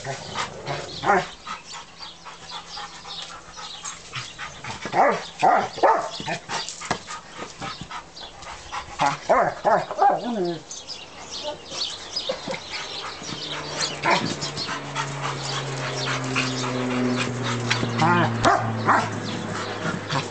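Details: Stud German Rottweiler, male, three years old and 120 pounds, excited over his toy, the brick: clustered rough barks early on, then steadier droning tones run underneath as the barking thins out.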